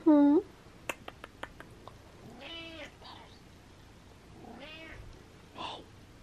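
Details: A cranky, frustrated house cat meows indoors: a loud short cry at the start, a string of sharp clicks, then two longer drawn-out wavering meows.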